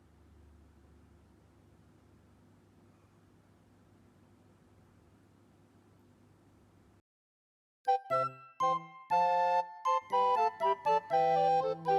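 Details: Low steady hum for seven seconds, a brief silence, then a bright chiming jingle of rapid bell-like notes, with no animal voice heard.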